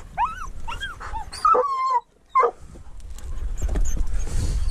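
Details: Treeing walker coonhound on a mink hunt alongside a dachshund. High, rising-and-falling whining yelps come in quick bursts, then a short pause, two more yelps, and growing rustling and wind-like noise to the end.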